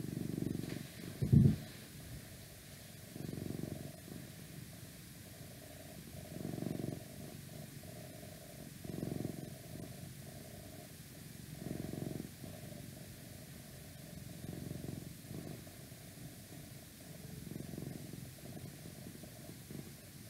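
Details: Cat purring steadily in a deep rumbling drone that pulses every two to three seconds, with one sharp thump near the start and otherwise quiet surroundings.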